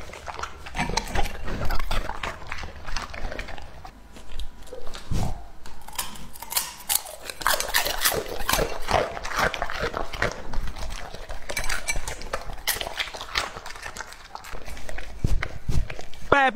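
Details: Lucky, a two-and-a-half-year-old English-type Labrador Retriever, eats raw meat indoors in a small room, recorded close up. Wet, crunchy biting and chewing comes in dense irregular bursts, with a brief lull around five seconds.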